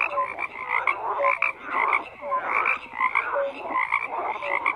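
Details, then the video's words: Croaking frogs in chorus, repeated bursts of harsh pulsed calls roughly every half second overlaid with short pure notes from other callers. "FROGS CROAKING"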